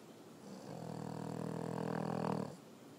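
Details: Sophie Bleu, a French Bulldog, snoring indoors: one long raspy drawn-out snore with a low buzzing rattle, swelling over about two seconds and then stopping abruptly.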